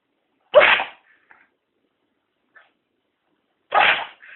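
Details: Chester the cat sneezes twice, each a sharp, breathy burst about three seconds apart with near silence between, a faint tiny click in the gap.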